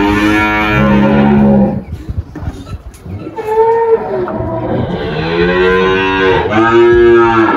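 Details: Moos from Malhada, an 18-year-old spotted Girolando dairy cow with two working teats giving 10 litres of milk, on a farm in Anápolis, Goiás, Brazil, March 2023: a low drawn-out moo, then a pause and two higher, rising moos, with faint guitar-like music.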